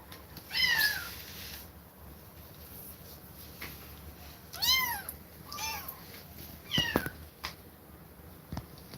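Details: Kittens parted from a mother that attacked them repeatedly cry with short, high, arched meows in scattered bursts, several close together mid-way, over a steady background hiss and occasional clicks.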